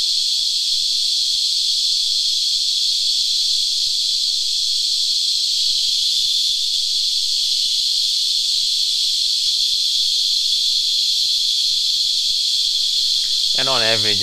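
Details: Locally named Christmas beetles, these cicadas feeding on tree sap hold a level, high, rasping whine throughout; shortly before the end a short wavering squeal rises at a lower pitch over the drone.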